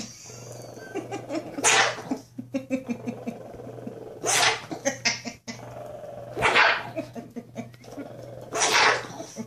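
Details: A teacup Shih Tzu attacking a blanket "monster" gives sharp, breathy barks in short bursts while a woman cheerfully praises it.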